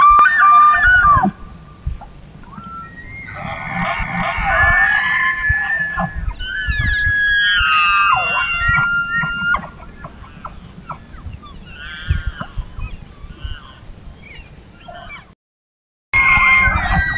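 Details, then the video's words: Elk herd bugling at dusk as darkness falls: several high, whistled calls, some pure and sliding, others harsh and buzzy, overlap across the clip, with low rumbling grunts underneath and a brief silent gap near the end. "Eerie Elk Bugling"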